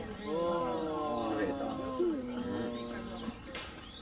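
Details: Chinese wolf at Tennoji Zoo, Japan, recorded between September 2022 and January 2023: a long, steady, low howl held for about three seconds with little change in pitch, then a short rising note, with faint voices in the background.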